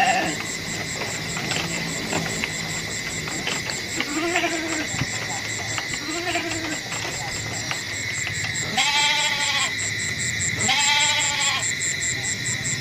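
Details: Goats bleating: two quieter, low wavering bleats near four and six seconds, then two louder, harmonic-rich bleats around nine and eleven seconds, all over a steady, rapidly pulsing insect chorus.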